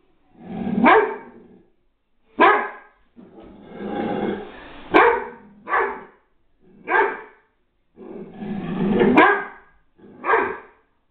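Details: Great Dane upset by aluminium foil laid on the floor, reacting to something new: a series of seven deep, harsh barks, some drawn out with a growly edge, spaced roughly one to two seconds apart.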